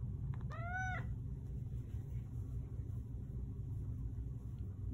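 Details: Male Manx cat trained to meow on command, answering the cue "more?": one clear, drawn-out tonal meow, rich in harmonics, that bends slightly upward then falls. A steady low indoor rumble runs underneath.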